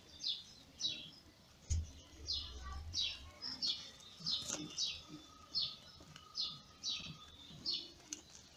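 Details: Newborn kittens born in May to the ginger mother Lady Ginger, crying as she feeds them: thin high squeaks, each dropping in pitch, repeated about every half second over a faint low hum.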